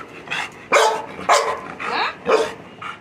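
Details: Milky the Labrador Retriever barking repeatedly, about five loud barks of uneven spacing over three seconds, some with a falling tonal edge.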